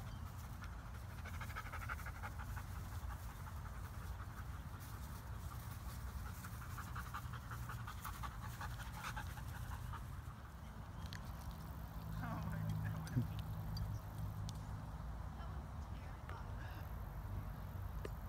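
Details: Luna, a five-month-old mid-content wolfdog hybrid pup, pants at a dog park in Nashville during socialization with a husky. Quick, steady breaths come about three per second over a low outdoor rumble.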